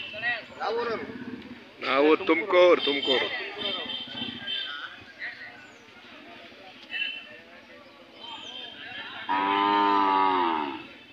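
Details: At a cattle fair in Chelur, India, Hallikar cattle give one long, steady, low moo late in the recording, after stretches of men's voices and crowd chatter.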